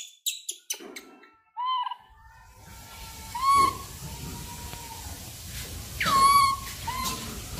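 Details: Langur giving short, high, harmonic squeals, some rising then falling, scattered over several seconds with a few sharp clicks at the start and a steady rushing background hiss.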